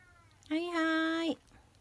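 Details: A kitten being fed milk, giving a single drawn-out meow of under a second, steady and slightly falling at the end, in a quiet indoor setting with soft speech around it.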